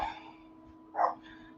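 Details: A French bulldog, said to be noisy that day, gives a single soft, muffled wuff over a faint steady hum.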